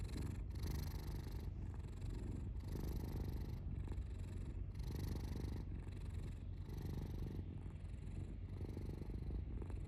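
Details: Domestic cat purring indoors, a deep continuous rumble that swells and eases in even cycles roughly once a second as the cat breathes in and out, with no other sounds intruding.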